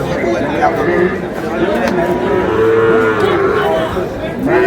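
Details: Sahiwal bull calves at a cattle market in Noakhali, Bangladesh: several drawn-out lowing moos overlapping amid steady crowd chatter and bargaining voices.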